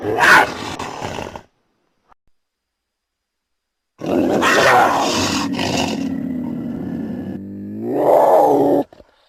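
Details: Puma giving a short harsh burst, then after a silence a long, rough, snarling growl that swells into a rising, moaning cry at the end.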